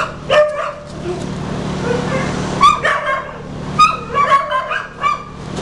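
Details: Blue heeler available for adoption, recorded 31 July 2015; bursts of high yips and short barks in quick clusters, with other yelps among them over a steady mechanical hum.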